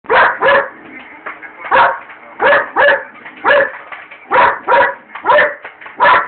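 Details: Belgian Malinois barking indoors at a microwave while popcorn is made, running back and forth in front of it, recorded on a cell phone; loud sharp barks in pairs and singles, roughly every half second, with a steady hum beneath.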